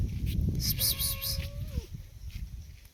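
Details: Money cat eating bread gives one steady mid-pitched tonal call held for about a second, with a fainter higher overtone, ending in a short downward slide, over low rumbling background noise and brief clattering sounds.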